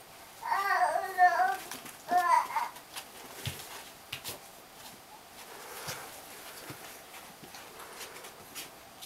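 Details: Siberian Husky puppies at 3 weeks old give two loud, wavering, yelping whines in quick succession, each under a second long, followed by quiet rustling, light taps and shuffling.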